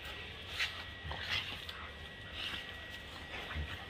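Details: Playful German Shepherd in Birgunj lets out short, high yelping whines, two sharp ones close together early on and softer ones after, over a steady low hum.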